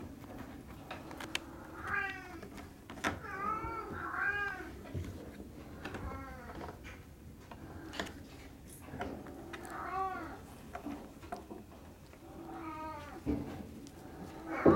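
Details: Kittens of Will and Ribbon at Fantarja Cattery mewing indoors: a string of short arched meows, several overlapping, rising then falling, recurring every second or two amid soft room noise and clicks.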